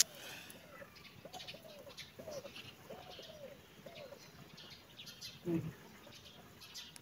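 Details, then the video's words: Kitten and cat at play; a run of about six short, high, arched mews comes roughly once a second over a low hiss, followed by a brief thump near the end. "kitten and cat playing"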